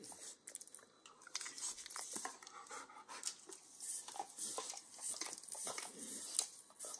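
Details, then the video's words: A 9-year-old Pit Bull nibbles and licks overcooked bacon indoors in a kitchen: sharp crunchy bites mixed with moist smacking clicks, irregular and close, over a faint hiss. "Dog Licking Sounds"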